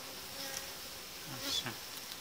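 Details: Honey bees at a hive where two colonies are being united, as the uniting dividers come out about five days after being added; a steady, dense buzzing hum, with one louder bee passing close near the end.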